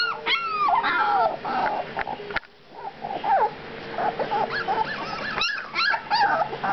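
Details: Litter of puppies aged two weeks giving thin, arching whines and squeals, several loud sliding cries early on, then a short lull before scattered rising yips return toward the end.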